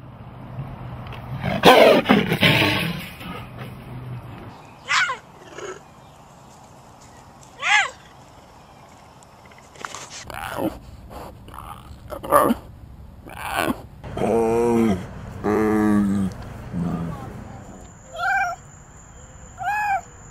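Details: Big cat voicing a loud, rough, broadband roar burst early on, then a series of short, tonal, moan-like calls spaced irregularly over the rest, some with a rising-then-falling pitch, separated by quiet gaps.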